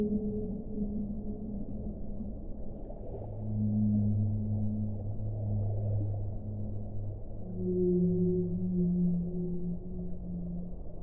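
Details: Whale song: overlapping low moans in phrases lasting several seconds, a deep groaning note beneath brighter humming tones, swelling twice in loudness, with muffled underwater noise throughout.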